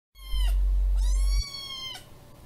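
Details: ['Kiki, a tiny kitten with feline hyperesthesia, meows while demanding snacks of bonito flakes at feeding time; three high, harmonic meows in quick succession, each bending downward, over a heavy low rumbling thump of handling noise.']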